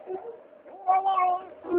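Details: Pet cat making weird noises: a short low murmur that swells into a bright, drawn-out wavering meow, then a final rising call.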